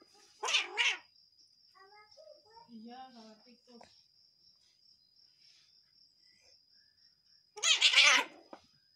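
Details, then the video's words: Cat angry at its partner gives two loud, raspy, noisy outbursts about seven seconds apart. Soft human speech fills the gap between them, and a thin high whine runs throughout. "Ekspresi Kucing Marah Sama Pacarnya"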